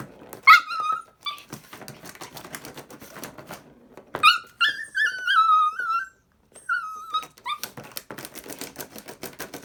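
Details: Puppy playing excitedly with a cat toy indoors, giving high whining whimpers and short yips in bursts, some drawn out and wavering, amid rapid clicking and tapping from the toy and paws.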